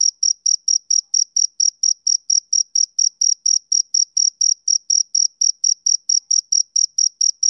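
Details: A male cricket chirps through a summer evening in a tight, regular series of high, piercing pulses about a quarter second apart, roughly thirty in all, clean and unaccompanied by other sounds.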